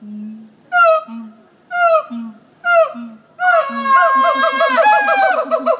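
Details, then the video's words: Monkeys at the Jacksonville zoo give loud, falling hoots about once a second, then break into a fast, wavering trill. "Monkeys at the jax zoo howling"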